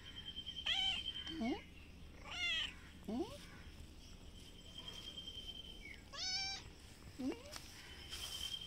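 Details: Brown cat and white kitten squaring off for a fight on grass behind a house: strained, bending meows rising and falling, interspersed with lower moaning yowls, with faint voices and a steady tonal hum underneath.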